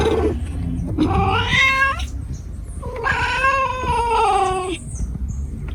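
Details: Cat giving two long, wavering, whiny caterwauls, each bending in pitch, over a busy background with low rumble and a faint high tone near the end.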